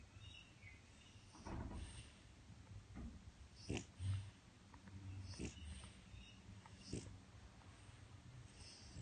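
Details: French Bulldog snoring loudly while napping in his crate one afternoon; quiet, rough breathy snorts come at uneven intervals of one to two seconds over a soft background hiss.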